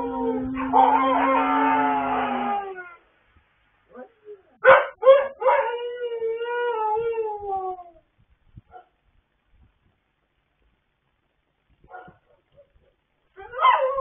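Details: Pet dogs howling together late at night on 26 October 2022, sustained wavering howls with several overlapping voices for three seconds, then a second burst of rising and falling howls, short yelps and quiet gaps.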